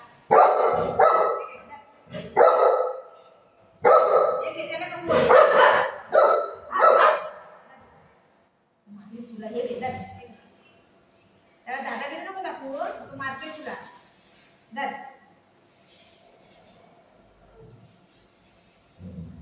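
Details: Golden retriever Buzo playing with mom: clusters of loud, sharp barks in quick succession for the first seven seconds, then softer yelps and whiny vocal sounds mixed with a woman's voice, ending in near quiet.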